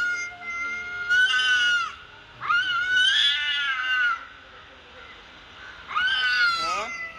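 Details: Recorded cat calls played from a mobile phone for a mature cat to react to: three loud, bright meows, the middle one longest, each sliding downward at its end, separated by quiet gaps.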